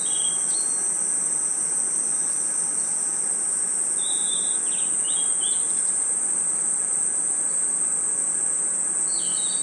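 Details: A steady, shrill chorus of night insects in a forest, crickets ringing in a continuous high trill.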